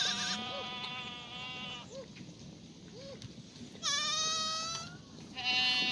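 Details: Several black goats calling in a farm goat yard at Gimhae, South Korea, sunny morning, 1 April 2019; loud, harsh, overlapping bleats, some long and steady, others rising, nearly continuous across the stretch.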